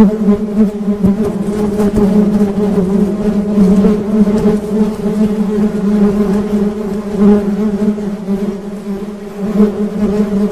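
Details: Honey bees humming in a dense, steady drone with a strong low tone and stacked overtones, the pitch wavering slightly as wingbeats overlap; no other sounds stand out.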